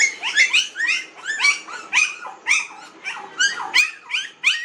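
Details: Nineteen-day-old puppies in a village whine in quick, high-pitched squeals, about one a second. Each cry bends up and then down, and the calls from several pups overlap.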